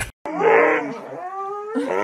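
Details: A 'talking' dog from a TikTok compilation starts with a sharp burst, then makes a short, wavering howl that slides down and flattens into a thin whine. A rougher burst closes the two seconds.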